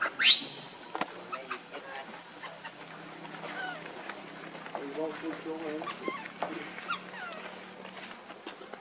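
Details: Hungry baby monkey crying and begging its mother for milk: one sharp high squeal at the start, then quieter wavering cries and short rising whines later on, with faint background noise.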